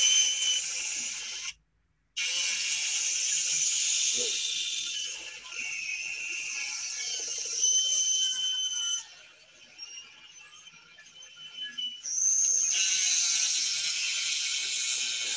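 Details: Wild beluga whales in the St. Lawrence River Estuary give dense, buzzy, chainsaw-like pulsed contact calls laced with high whistles.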